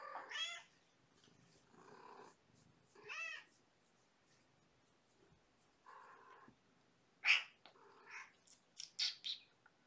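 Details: Kittens from Gamora's litter of five, born April 14th, winding down at bedtime with lap time and play; several short harmonic meows and squeaky cries, some overlapping, followed by sharp high squeaks near the end.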